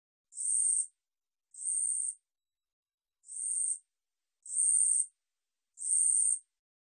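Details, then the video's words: Katydid (우리여치) song, National Institute of Biological Resources recording from 2020: five shrill buzzing bursts of around half a second each, with a longer pause after the second, otherwise clean and quiet. "우리여치, 여러번 듣기, 곤충소리"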